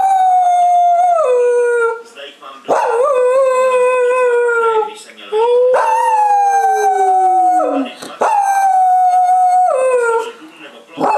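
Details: A female Cocker Spaniel howls in long, sustained notes that slide and fall, with brief breaths between.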